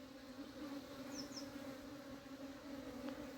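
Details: Steady droning buzz of honey bees during summer hive cleaning, an even low hum with a fainter higher band holding throughout, plus two brief high squeaks midway.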